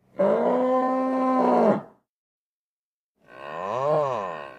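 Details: Two bellows from a nervous bull: a level, harmonic moo of about one and a half seconds, then after a silent gap a softer call that swells and falls in pitch.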